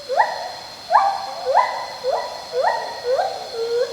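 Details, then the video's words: A pileated gibbon sings a series of clear, rising whooping notes, repeated roughly twice a second, part of a gibbon's complex vocal song. "This is the call of a gibbon. Now, this one is a pileated gibbon singing."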